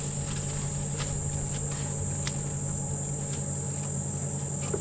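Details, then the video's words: Cicadas give a steady, high, unbroken hiss all around a safari vehicle on a 2 November sunrise drive near feeding elephants, over a low engine rumble and faint clicks, while the dawn chorus is quiet. "I'm sure you can hear the cicadas going psst"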